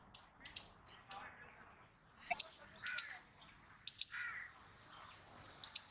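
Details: Sparse squirrel calls: short, piercing high chips, singly or in doubled bursts, separated by pauses of up to a second, with a faint lower chirp after one burst.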